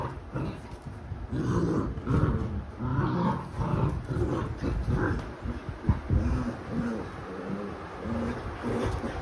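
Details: Alexa the Labrador mother scolding her puppies as they fight: a steady low rolling growl with repeated throaty pulses roughly every second, mixed with playful snarls, under faint background hum.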